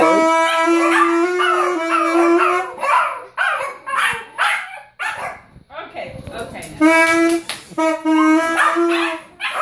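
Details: Yorkshire Terrier howling and 'singing' along as a 9-year-old boy plays saxophone; steady sustained saxophone notes alternate and overlap with the dog's wavering, yelping howls, with brief speech between phrases.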